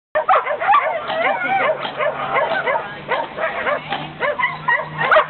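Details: Lumi, a dog at lure coursing, yelps and whines excitedly in rapid, high-pitched bursts that rise and fall, repeated several times a second throughout, with a steady low hum beneath.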